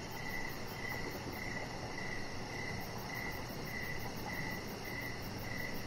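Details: Crickets chirping outdoors in the evening beside a deck where a chihuahua puppy lies under decoration lights; short, shrill pulses repeat roughly twice a second over a steady hiss and a faint, fast high ticking.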